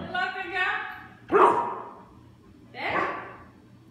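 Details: Cautious pet Samoyed, offered a banana indoors, gives two short, harsh barks about one and a half seconds apart, following a person speaking Portuguese in a coaxing voice.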